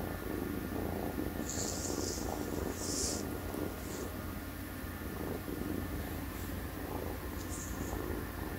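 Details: A tiny orange kitten purrs as it grooms, a continuous low vibrating rumble under several short hissy licking sounds in the first few seconds and another near the end.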